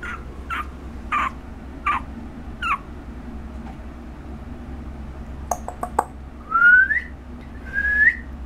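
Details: Short squeaky yelps from Chesha, a one-month-old female puppy recorded August 17, followed by clicks and two longer rising whistled whines near the end.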